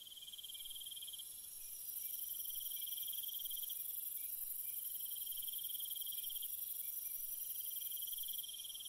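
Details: Crickets at night in a calm natural setting: a pulsed, fast trill in the upper range, broken into stretches that stop and restart, over a continuous, higher shimmering hiss that swells after the first two seconds.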